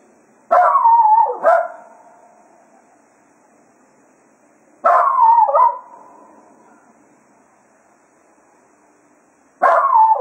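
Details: Cato, a Jack Russell Terrier at Quail Roost, serenades the hounds at the end of a day of foxhunting: three loud, wavering yowl-barks, each about a second long with a falling, bending pitch, separated by roughly four seconds of quiet.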